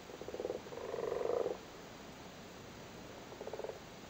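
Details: Spawning Irish frogs in a flooded cattle grid in Cork: a quick run of rattling purrs lasting about a second and a half, then a pause and one short pulsed croak, with a background hiss.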